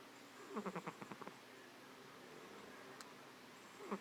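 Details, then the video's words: Domestic cat named Vaflya fast asleep and snoring: a short burst of soft rattling pulses just after the start, then a second snore beginning near the end, about three seconds apart, in a quiet room. "Кошка храпит. Крепко спит"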